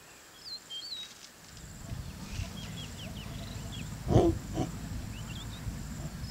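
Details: Lions mating in the Masai Mara National Reserve, Kenya, in open grassland: a deep, rough growl rises out of a low rumbling background, with a sharp louder snarl burst near the middle, while small birds chirp and whistle high above throughout.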